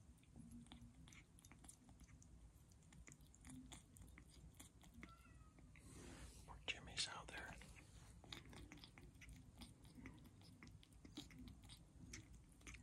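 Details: Tiny rescue kitten EV, called Elvira, eating kitten kibble on her own indoors after not eating all day; quick crunchy clicks of chewing repeat rapidly and unevenly, with a soft background hum.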